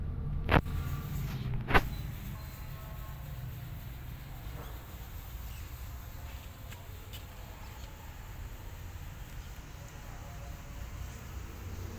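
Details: Steady low background hum with two sharp clicks near the start and no animal voice.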